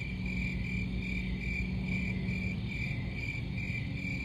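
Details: A continuous high cricket chirping, rapid pulses running together in an uneven rhythm, set against a heavy low-pitched hum or rumble that fills the background.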